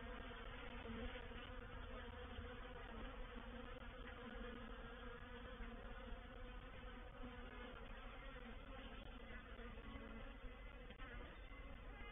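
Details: Swarming honey bees occupying a bait hive at Painted Peacock Manor, 04/07/21, during a reproductive swarm; sustained many-voiced humming, slightly pulsing, with faint higher whines drifting in and out.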